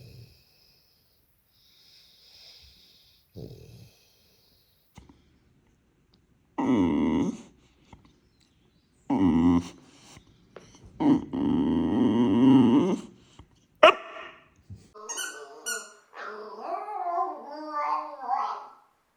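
A boxer dog snorts, snuffles and grumbles in short, throaty bursts, ending with higher, whiny vocal noises.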